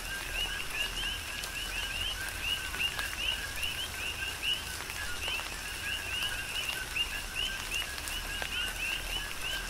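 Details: Many coqui frogs call through tropical rain on Hawaii's Big Island, each giving a short lower note followed by a higher upslurred note, the chirps overlapping rhythmically above continuous rain noise.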